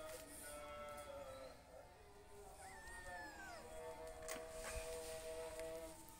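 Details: Two kittens with their mother cat; one drawn-out meow that rises, then slides downward, heard over steady background music.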